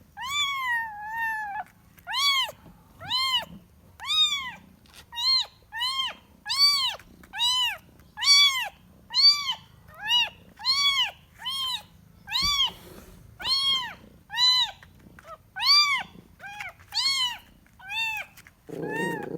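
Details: Kitten meowing while looking for its mother indoors: a long run of high, arched, tonal mews, about one a second, each rising then falling, steady and insistent with brief gaps and a soft noisy burst at the end.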